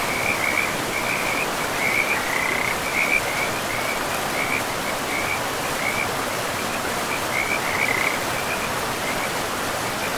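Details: Chorus of frogs beside a river in pristine forest: short high trilled bursts come in quick clusters, pausing and resuming, over a continuous wash of running water.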